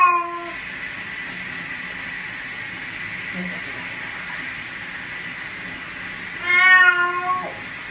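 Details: Cat being given a bath, meowing: a short meow at the opening, a long stretch of hissy background with faint sounds, then a stronger wavering meow late on.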